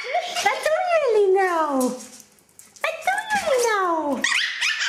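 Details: One of two male Chihuahuas, including a puppy, playing together in a playpen, gives two long, whiny cries that slide downward in pitch, with a brief pause between.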